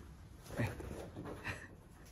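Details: Chachamaru, a male Shiba Inu born 21 January 2019, makes his lately frequent show-off voice, somewhere between a howl and a growl: a short vocal sweep sliding downward, then a softer second note, indoors with quiet talk around.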